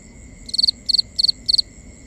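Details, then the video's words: Night cricket in a binaural recording giving four bright, pulsed high chirps in a steady rhythm roughly every third of a second, against a continuous thin insect drone. "Cricket Conversations | Binaural Nighttime Ambience"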